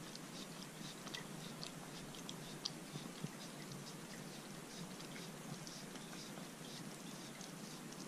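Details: Arthur, a Corgi, licks and crunches a dog-safe homemade popsicle on a hot day. Dense, fine crackling chews and wet clicks run steadily, with a few louder bites, in a quiet room.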